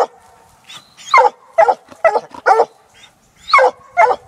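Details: Six-month-old female Black and Tan Coonhound following a laid coon trail, barking in quick uneven pairs and singles with a few thin whining tones between, over a low steady hum.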